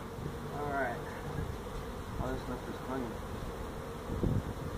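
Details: Feral honey bee colony built inside a tractor tire in a stack of tires at a citrus orchard in Mission, Texas, during hive removal; a dense, steady low hum fills the clip, with faint murmured voices.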